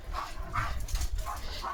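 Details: A German Shepherd on evening barking duty at a farm, guarding his area, gives short, muffled, yelping barks in quick succession over a low rumbling background.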